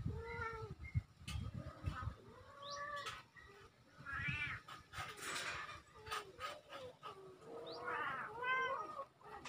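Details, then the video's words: Two young kittens, October 17, 2024, giving repeated high arched mews, some overlapping, with brief broadband clicks and a rumbling low background throughout. "Two Adorable Kittens | Magayon Cat Babies"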